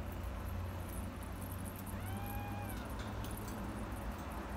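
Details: Orange Himalayan cat giving a single drawn-out meow, about a second long, that rises slightly and then falls, set against a steady low rumble and hum.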